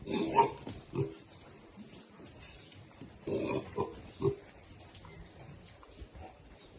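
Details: Baby pigs grunting while they eat: short, low, rough grunts come in scattered bursts, a pair near the start and a cluster around the middle, with quiet gaps between.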